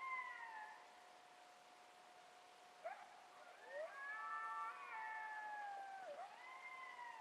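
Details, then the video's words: Coyotes howl together after dark in Palo Duro Canyon on April 9th, 2010, their wavering tones sliding up and down and overlapping, with a few sharp rising yips. "Coyotes howling in Palo Duro Canyon after dark"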